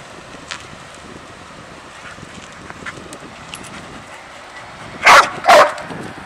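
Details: After a quiet stretch of low rustling, Sadie, a dog worked up about a squirrel she cannot see, fires off two quick, loud barks about half a second apart near the end.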